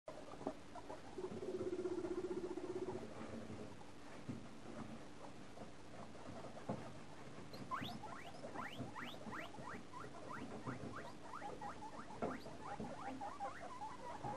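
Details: Guinea pig family during a feeding frenzy, with a rapid run of short, sharp rising squeaks in the second half, over steady pattering and rustling.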